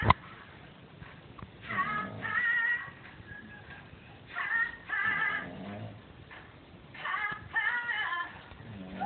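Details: Belorussian pug Rafik Nevinovnik "talking": wavering, whining, howl-like phrases in three drawn-out bursts separated by short pauses, low-quality recording.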